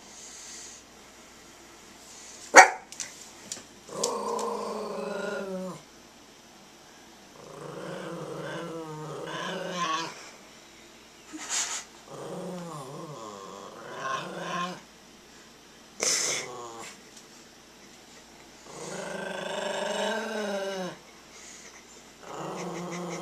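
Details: Brado, a small pet Maltese dog, growls while standing its ground against a child making hostile faces indoors; rough, harmonic growls come in bursts of one to three seconds, separated by short quiet gaps and a few sharp clicks.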